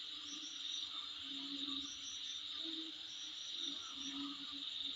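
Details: Insect sound outside a home, a continuous high-pitched ringing drone with faint chirped accents on top and scattered low pulses from other callers beneath.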